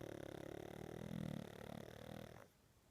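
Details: An ageing pug sleeping a lot lately lets out one long, loud, rattling snore, a dense low rumble with buzzing overtones lasting about two and a half seconds before it fades to quiet.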